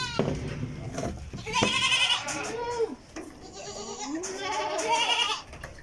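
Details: Goats at a farm feeder in Karnataka, India, giving two drawn-out, tremulous bleats with a falling tail, over rustling, shuffling and low background noise.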